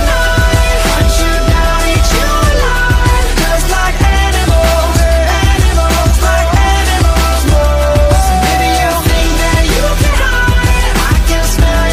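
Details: Loud pop music with a steady beat and bass; no animal sound is heard.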